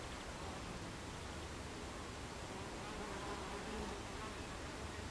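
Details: Buckfast bees crowding a hive entrance on a July 2013 afternoon give a constant low buzzing drone, steady in loudness, with a faint rising-and-falling hum from one bee near the middle.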